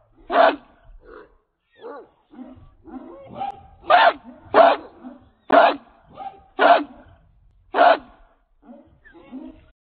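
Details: An American Pit Bull Terrier weighing 66 pounds, Redboy Jocko bloodline, barks while on the chain, with loud, clipped barks about once a second and softer yips and huffs filling the gaps.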